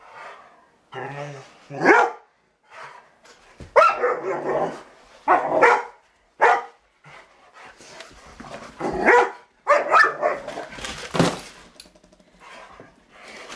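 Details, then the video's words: Pet Rottweilers at play with a remote control truck give short, separate barks in clusters with gaps of silence between them; a person talks now and then. "rottweilers verses remote control truck"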